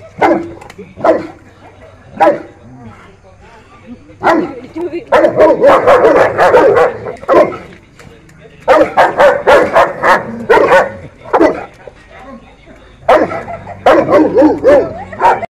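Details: St. Bernard dog barking in bursts of several quick, harsh barks separated by short pauses, with music in the background.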